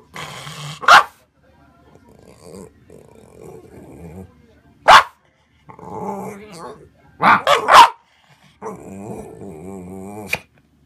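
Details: Pet dog demanding its food, giving single sharp barks roughly every four seconds, with a quick double bark near the end, between low grumbling whines and moaning vocal sounds.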